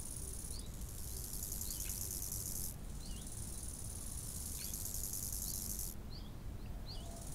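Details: Crickets by a lake in summer give a high, continuous shrill trill in bursts, with brief bird chirps and a low background rumble of wind; cricket.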